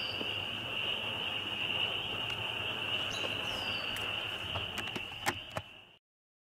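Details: Many spring peepers calling together in a loud chorus, their shrill, high-pitched peeps blending into a steady ringing drone, with a few sharp clicks near the end before the sound cuts off abruptly.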